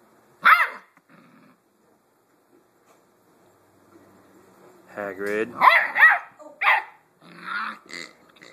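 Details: A 7-week-old Blue Great Dane puppy named Hagrid tackles his toy pig indoors. One sharp yap is followed by a pause, then a rough, growly cluster of barks and yips, and human voices mix in near the end.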